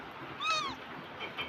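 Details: A domestic cat in Bangladesh gives a single short meow that rises and then slides down, against a quiet background.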